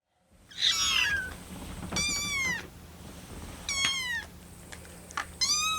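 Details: Rescued kittens on their 25th day in care, Lucy among them, wait for cooling milk and call for it. A few separate high, wavering mews drop in pitch, spaced about a second apart, against a faint indoor hum.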